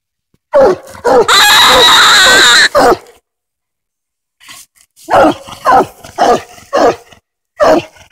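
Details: Hoss, a coonhound treed on a den during a Tennessee coon hunt, gives sharp chopping barks, then a loud sustained harsh burst of roughly a second and a half, a pause, and another series of irregular barks.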